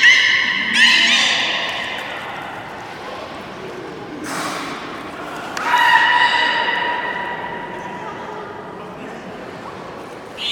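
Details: Captive beluga during a public training session at Port of Nagoya Public Aquarium, Japan, on 24 March 2018 at the 16:30 show. It gives two bursts of harmonic-rich whistles, near the start and around six seconds in, with thuds and soft background noise between them.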